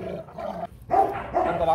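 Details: Rottweiler guard dog at a kennel, loud harmonic barks in two short bursts, a brief gap between them, with a Vietnamese-speaking voice close by.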